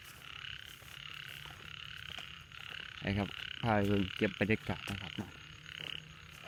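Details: Morning frog chorus around 7 a.m. in a rain-soaked rice field: after a quiet stretch of insect buzz, a quick series of low, gravelly croaks breaks out, then stops.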